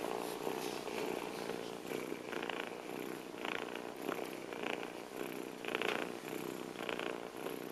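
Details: Loud, regular purring from an abandoned kitten at trash cans in Bulgaria, pulsing breath by breath, with brief brighter bursts of rustling over it.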